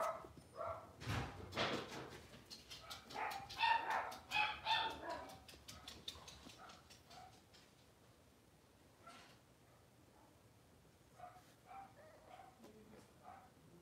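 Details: Blenheim Cavalier King Charles Spaniel puppies, a litter of five, settling into a bigger pen at home. A busy run of sharp, high yips and barks fills the first seconds, then fades to scattered soft whimpers and faint yelps in a quiet room.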